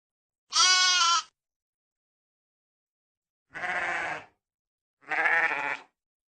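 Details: Three bleats from a sheep. The first is a strained, high, bright bleat, followed after a pause by two lower, rougher bleats about a second apart. No other sounds are heard.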